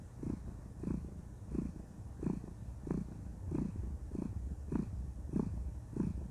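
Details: Female cat so content during cuddle time that she purrs, a deep throaty rumble in even pulses roughly every 0.65 seconds across the whole stretch, with a quiet indoor background.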